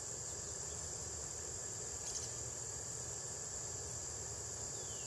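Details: Red-headed bush cricket recorded in 2010 at the State Botanical Garden of Georgia in Athens, USA, alongside other insects: a steady, unbroken high-pitched ringing trill runs through the whole stretch over a faint low rumble.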